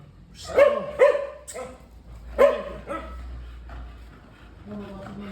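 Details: Hector, a playful, affectionate American Bully, gives three short, pitched, whining yelps with strong harmonics in quick succession early on, then softer, lower whimpering tones fade out near the end over a quiet indoor background.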